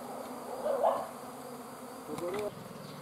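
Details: Bees swarming: a steady, low buzzing drone, with two brief louder surges as individual bees pass close.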